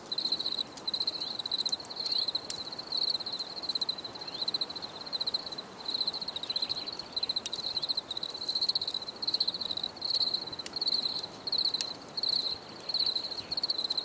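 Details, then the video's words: Crickets chirping in a nature relaxation recording, a high pulsed trill repeated in bursts about 82 times a minute, with scattered clicks and a faint broad background hiss. "Les grillons || Bruit de Grillons"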